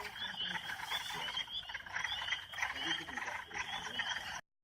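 A chorus of Northern spring peepers gives high, clear, piping peeps that overlap continuously.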